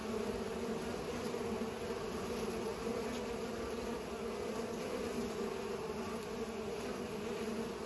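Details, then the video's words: Steady droning of bees at work pollinating; a thick, constant hum of many wingbeats holds level from start to finish with no other clear sounds. "Bees are pollinating"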